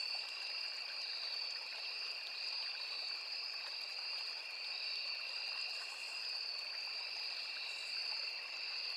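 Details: Forest crickets by a small river keep up a constant, ringing high trill in two layered tones, never pausing, over the steady rush of flowing water.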